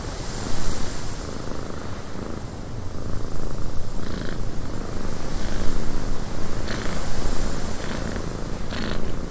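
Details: A cat purrs loudly in a cabin as wind blows, making a deep, grainy rumble that throbs in quick uneven pulses, with short soft rustling bursts in the second half.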